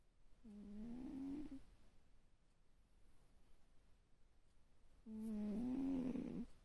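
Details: Cat asleep, giving two snores: a softer humming breath rising slightly in pitch, then after a pause of about three seconds, a louder, rougher snore with a whistling edge.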